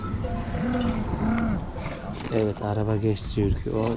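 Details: Lambs just separated from their mothers call for them, rough wavering bleats overlapping in a quick run during the second half, after a stretch of low background voices.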